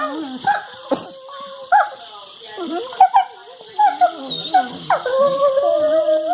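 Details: Two Labrador Retrievers playing and flashing their teeth at each other make odd, wavering whines and short yelping yips, bending up and down in pitch; recorded February 23, 2019.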